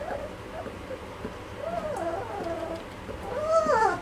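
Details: Malinois litter at two and a half weeks old, soft drawn-out wavering whines with a louder bending squeal near the end.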